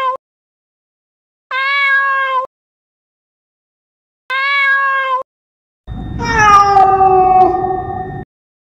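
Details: Domestic cat meowing, played to scare rats and mice: a short clipped start, then two steady, even meows about a second each, spaced well apart, followed by a longer, louder, falling meow over a rough, noisy background.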